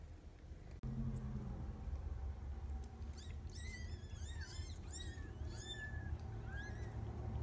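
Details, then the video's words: Mercury's kittens, 4 to 11 days old, born to a rescued outdoor cat taken in August 2017, give a burst of thin, high, arching mews, several overlapping in quick succession after a sharp knock, over a steady low hum. "The week in kittens: Mercury's kittens from 4 to 11 days old"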